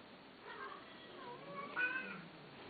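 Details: Male cat giving a soft, drawn-out meow that rises then falls, with a brighter wavering note near the end, against a low steady background hiss indoors.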